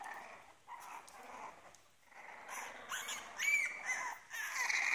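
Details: Two-week-old French Bulldog puppies squeak and whimper in thin, high, overlapping cries.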